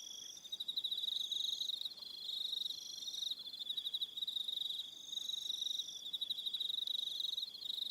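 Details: On Aroha Island, New Zealand, evening crickets keep up an unbroken high-pitched ringing trill, with pulsing chirp trains swelling and fading and faint extra trills higher still.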